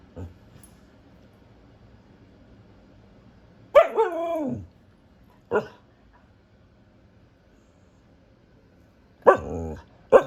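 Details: Female Siberian husky vocalizing: a wavering, falling howl-like talking call lasting about a second, then separated short sharp barks, with quiet pauses between.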